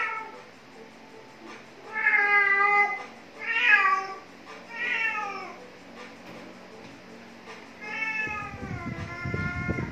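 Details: Khao Manee cat meowing while catching a worm: four drawn-out, tonal meows that rise then fall, spaced a second or two apart, the last one long and level over low rustling and scraping.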